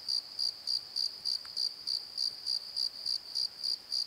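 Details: Night chorus of crickets from a valley bottom beside a tree: evenly spaced, high-pitched chirps, roughly three and a half per second, steady and unbroken against a calm, still background.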